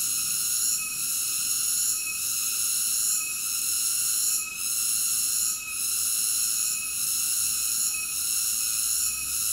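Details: Cicada chorus as a steady, dense high-pitched drone with several stacked bands, swelling and dipping slightly about once a second, no other sounds clear.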